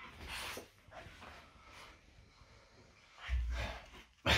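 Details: French Bulldog Loki during a typical morning indoors: noisy, breathy dog vocal bursts near the start and a louder, deeper snorting grunt late on, ending in a sharp burst, with quiet room noise between.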